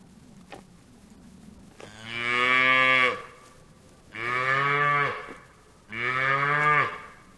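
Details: A couple of faint clicks, then a cow gives three low, resonant moos, each about a second long, with brief pauses between them.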